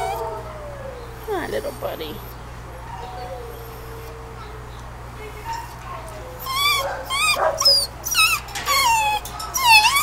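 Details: Kenneled two-year-old male Beagle/Pug mix wanting out: soft drawn-out whimpers at first, then a burst of sharp high yips and squeaky cries in the second half, with some background voices.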